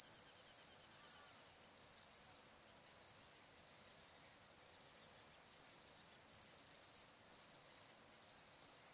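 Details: Summer sunset insect chorus beside the Barcoo River in Welford National Park, Queensland: crickets produce a shrill, sustained trill interrupted by brief gaps about once per second, with no other sounds standing out.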